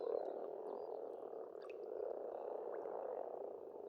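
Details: Pond frogs in spring in Estonia form a thick, steady croaking chorus, nearly unbroken, with only a few faint bird notes and clicks over it.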